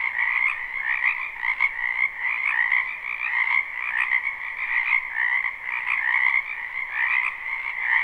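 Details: Frogs in a spring wetland, recorded live with no looping: a constant dense chorus of high trilling croaks, swelling and easing in waves, layered over a softer lower band.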